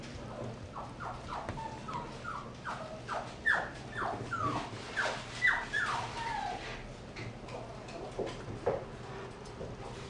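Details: Mixed-breed dog, health-checked, vaccinated and microchipped, makes a rapid run of short, soft yelps and whimpers, about two each second, fairly quiet against a steady low background hum.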